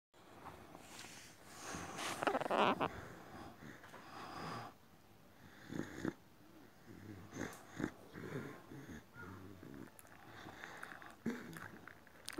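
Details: Boxer dog acting strange indoors, giving wheezy, grumbling vocal noises in irregular bursts, strongest early on, then softer rasping breaths and snuffles, with a person's voice faintly around it.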